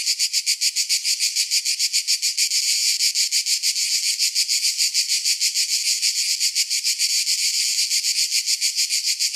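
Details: Cicada chirping: a dense, high, rasping buzz pulsing steadily at about three to four beats per second throughout, with no other sounds.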